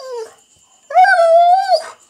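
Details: Female Rhodesian Ridgeback making a fuss: a short falling whimper, a pause, then a long steady tonal whine-howl holding one pitch for nearly a second before dropping away.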